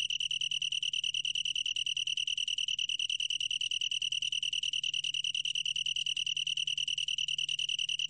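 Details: Continuous shrill trill of a long-tailed tree cricket, clear and tonal, finely pulsed without pause from start to end; soft low background hum.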